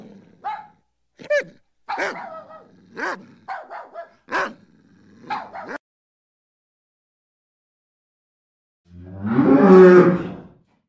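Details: Series of dog barks, short and rough, spaced roughly every second for six seconds. After a silent gap comes one loud, broad, growling roar near the end.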